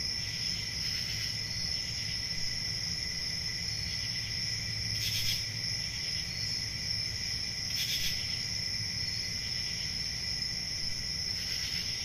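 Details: Summer night crickets calling together in a continuous high-pitched ringing drone, with louder pulsed bursts at irregular gaps of two to three seconds and a faint low hum beneath.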